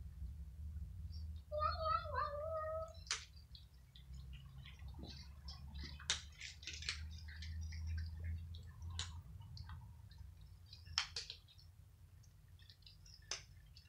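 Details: Several kittens and cats squabbling over dry kibble in the evening; one wavering meow with clear harmonics, then scattered clicks, crunching and chewing noises over a steady low hum.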